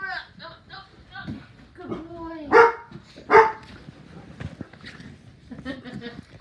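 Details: Saint Bernard puppy barks twice in quick succession, short loud yaps less than a second apart, amid a person talking in Spanish and softer whining noises before and after.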